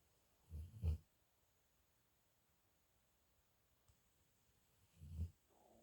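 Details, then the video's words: Sleeping dog snoring alone, recorded May 28th, 2021: a low rasping double snore, a long quiet pause, then another deep rumbling breath about four seconds later. "My dog snoring"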